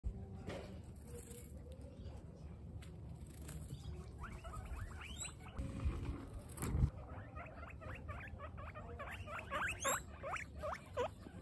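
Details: Female guinea pigs from a group of twenty-six during a running training day; repeated rising squeaks, rapid in a late burst, with pattering and scuffling movement underneath.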